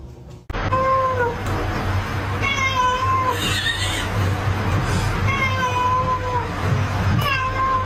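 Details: Domestic cat meowing about four times in eight seconds, each call a drawn-out, fairly level tonal cry, the longest near the middle, over a steady low hum and background rumble.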